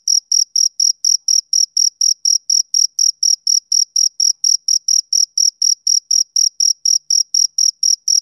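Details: Steady high chirping of a male cricket on summer evenings: some thirty-three short, sharp pulses at a brisk, even pace of about four per second, alone against a silent background.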